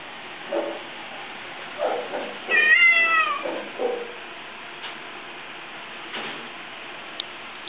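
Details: Domestic Shorthair cat awaiting adoption at a shelter, recorded 19 March 2013, giving one short rising-then-falling meow amid indoor rustling and handling noises.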